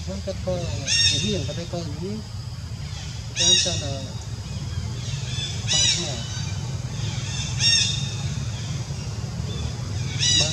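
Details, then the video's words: Monkey named Jazzy, hurt all over her body by ant bites while another monkey, Jane, does not help, crying in loud high harmonic screams that come in short bursts about every two seconds over steady low background rumble. "Jazzy Monkey Crying Hur-t Full Body By Ants"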